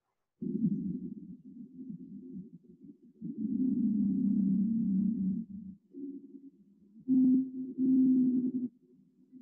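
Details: Blue whale (Balaenoptera musculus), song.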